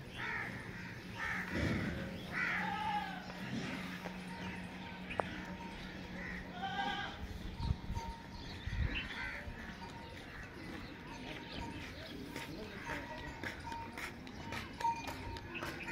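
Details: Goats, male and female adults with their kids, giving wavering, harmonic bleats near the start and again around seven seconds, set against a steady low hum, a faint tone and general farmyard background noise.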